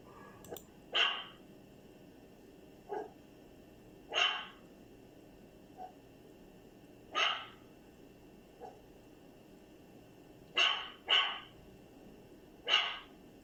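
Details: Dog making strange sounds: short, sharp, high-pitched barks and yips, about seven clear ones spaced one to three seconds apart, some in quick pairs, with fainter softer yelps between, against a quiet hiss.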